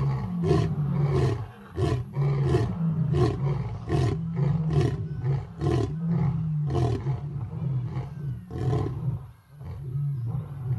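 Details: A male lion, the pride leader at a big cat sanctuary in Africa, roars at sunset in a series of deep, rumbling grunts, repeated about twice a second.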